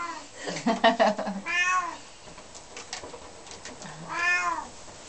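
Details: Bengal kittens, one of a pair of twins, mewing: two drawn-out rising-then-falling meows about two and a half seconds apart, with a person's speech and rustling just before the first.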